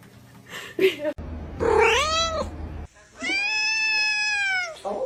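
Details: Cat meowing indoors: a short arched meow, then a long, loud, steady drawn-out meow lasting nearly two seconds, rich in overtones, with people talking and laughing before it.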